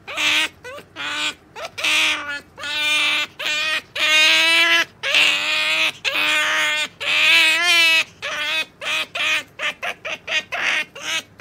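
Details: Impatient squeals from Sakura, a pet otter who cannot wait for her jerky treat during a wait lesson. Long, wavering harmonic cries alternate with rapid short chirps, roughly one per second, some with a shaky quaver.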